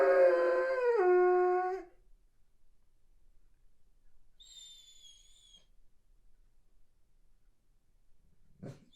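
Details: Weimaraner pining in boarding away from home, with a smaller dog howling along. A loud, rich howl lasts about two seconds and drops in pitch midway. A faint thin whine follows, then near silence and a brief knock at the end.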